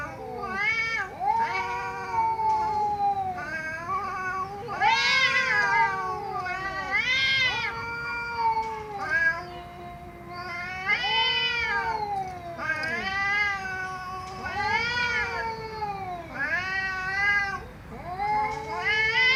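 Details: Cats meowing loudly in a steady series, bright harmonic meows that rise and fall, repeated about every one to two seconds with overlapping calls throughout.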